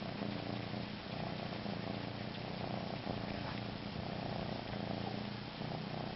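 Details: A cat purring continuously: a steady low rumbling drone that runs without a break, with faint indoor room noise.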